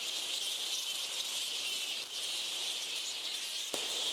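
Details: A dense, unbroken wall of shrill squeaking and chattering from thousands of straw-coloured fruit bats roosting in the tree canopy on an island in Lake Kivu, Rwanda, hundreds overhead, very loud.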